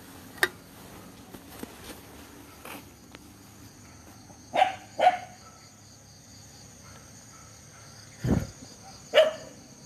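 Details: Pet dogs enjoying a good time: a few short, sharp barks come in separated pairs, two close together mid-way and two more near the end, over a steady faint insect hum.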